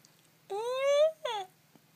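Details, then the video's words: Pet arctic fox crying indoors: one drawn-out, rising whining note lasting about half a second, then a shorter, falling cry, both rich in harmonics, with a quiet background. "Crying fox"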